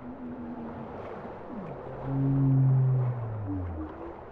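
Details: Bowhead whale song: a loud, low, drawn-out moan with layered tones, swelling midway and sliding down at the end, preceded by softer higher wavering notes over a steady undersea rumble.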